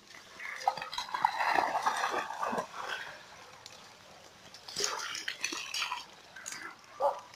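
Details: German hunting terriers, two dogs out on a walk, giving short, tonal whining yelps in irregular bursts, with a clattering noise and a louder cry near the end.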